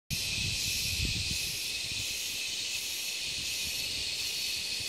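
Cicadas sing a steady, hissing high-pitched buzz, a continuous chorus of mating song.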